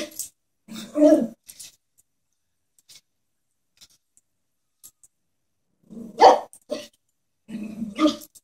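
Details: A Chihuahua, wary of a stuffed animal horse, gives a short growl and yap, falls quiet for several seconds, then resumes with another bark and a low growl.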